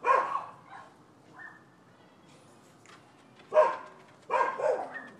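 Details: Neighbors' dogs on a Florida property, filmed in December 2015 over disputed nuisance behavior: one sharp bark burst opens, a long quiet gap follows, then two loud, rough barks close together near the end.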